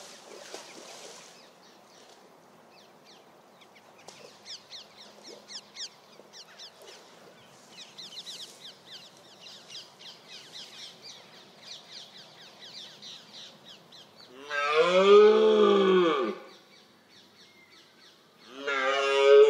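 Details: Red deer stag (Cervus elaphus), a male over 200 kg, roaring during the October rut. Small birds chirp quietly, then one loud, harsh, drawn-out bellow lasts about a second and a half. A second roar begins at the very end.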